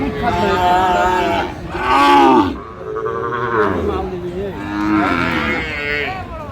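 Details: At a Natore cattle market in Bangladesh, a Sahiwal bull bellows in several loud, rising and falling moos over a few seconds, mixed with crowd voices and background music.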